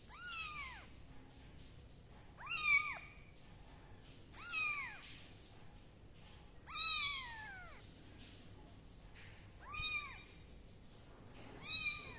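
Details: Six high, arching kitten meows repeat about every two seconds, each sharply rising and falling, with some louder and longer than others, while the kittens are dried with a towel and a gentle hair dryer.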